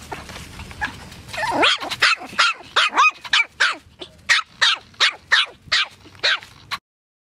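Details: Poodle giving a rapid run of about twelve sharp, high-pitched yapping barks, several per second, opening with a brief rising whine, in an otherwise quiet setting.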